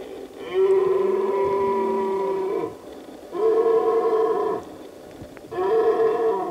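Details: Red deer stag in the Pyrenees mountains, bellowing during the late-September breeding season on remote summer pastures: three loud, drawn-out, harmonic roars, the first about two seconds long and the next two shorter, separated by brief pauses.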